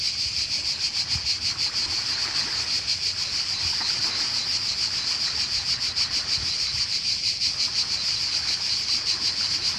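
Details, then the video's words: In Croatia during summer, a cicada keeps up a high, sizzling drone with quick regular throbs, never pausing, while gentle surf murmurs underneath. "Cicada (Cicala) and wave sound in Croatia"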